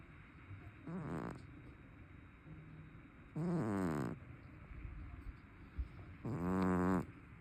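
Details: Chubby brown tabby cat with a notably loud snore, sound asleep: three rasping, buzzy snores spaced a few seconds apart, each getting longer and stronger, with soft breathing between them.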